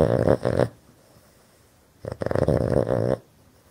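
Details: A male Boston terrier, a breed known for snoring, snores in loud, rattling bursts with pauses between breaths while sleeping with his eyes wide open; he snores all the time.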